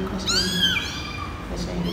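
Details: Eighteen-day-old kitten with its mother cat, a former stray, during a first home health check by a vet in Phnom Penh, Cambodia: one high, arching kitten mew with a bright tonal sweep, under ongoing human speech and room noise.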